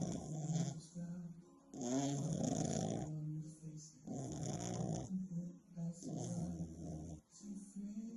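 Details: A sleeping female French Bulldog snores loudly in deep, rattling bursts, each breath a rough low rumble.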